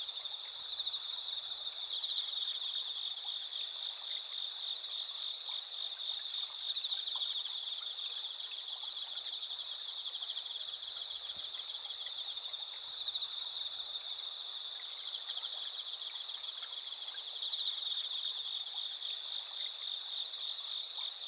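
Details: A steady night chorus of autumn insects, dense high trilling and chirping with no pauses, among rice fields and spider lilies in Asuka village, Japan, on a clear, near-full-moon night, 20 September 2021.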